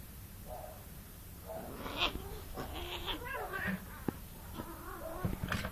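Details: Cat voicing a mix of short wavering meows and rising-falling yowls, some higher and strained, packed closely over a few seconds, with faint clicks and a low rumbling background throughout.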